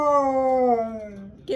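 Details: Siberian Husky scream on a Sunday morning, a short drawn-out wail gliding steadily lower for over a second before trailing off, with a brief sharp noise at the very end.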